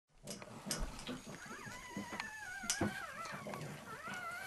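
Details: Female pug demanding that a male pug let her into the shared feed bowl, indoors. High, wavering whines slide up and down over several seconds, with faint shuffling and clicks.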